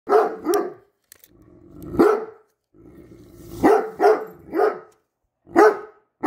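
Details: A Great Dane gives deep, booming barks in uneven bursts, some doubled, with low rumbling between, reacting fearfully to a measuring tape held by its owner.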